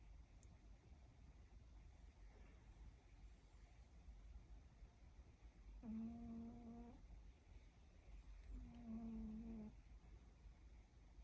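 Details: Sleeping Siberian cat snoring in a quiet room. Two drawn-out, low buzzing snores, each about a second long and roughly three seconds apart, with faint background hiss between breaths.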